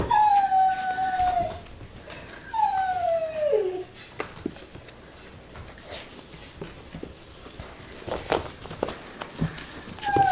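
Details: Puppies six weeks old whimpering in long, high, pure-toned whines that fall in pitch. Several cries come early, then softer squeaks and faint rustling, and another whine rises near the close.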